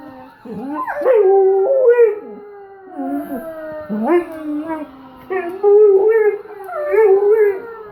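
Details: Dog copying police sirens with its howl: repeated drawn-out wavering howls, each sliding up then falling, renewed about every one to two seconds, loud and clear with little else heard.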